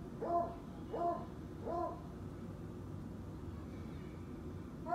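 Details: Cletus, a Treeing Walker Coonhound acting like a hunting dog, lets out three short baying notes about two-thirds of a second apart, then quiet, and a fourth note starts at the end, indoors with low rumble.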